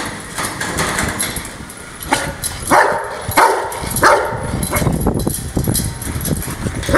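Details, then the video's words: Angry Rottweiler barking in a cluster of loud barks around the middle, preceded by quieter noise and followed by fainter, rapid lower sounds. "My Angry Rottweiler"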